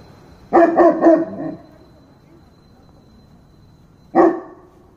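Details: {'caption': 'Dog giving a quick run of three or four harsh barks, then silence, then one more loud bark after about three seconds.'}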